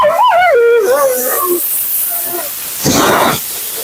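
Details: Mila, a talkative female Siberian Husky at her second-ever groom, voices a short wavering, bending whine with rising and falling pitch during her bath, followed by a burst of rushing water or blower hiss.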